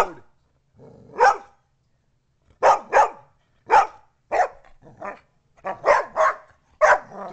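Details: Poodle squaring up to two pit bulls gives a run of harsh barks, some in quick doubled pairs, coming faster toward the end; a low murmur of voice between them.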